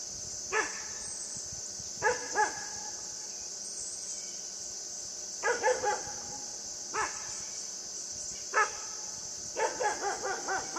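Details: Puppy Yufie barking while playing with a buck: short sharp yaps in scattered bursts, some single and some in quick clusters of two or three, over a steady high-pitched background hiss.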